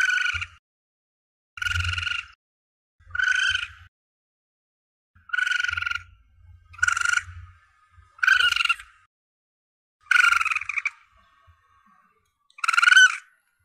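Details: A young Asian palm civet gives harsh, raspy squalls, each about half a second, repeated every two seconds; a recording offered to hunters as a lure call to attract the target animal.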